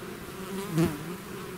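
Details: Amid a bee swarm leaving its hive, one bee zips close by, its buzz swelling and fading in under a second over the background hum.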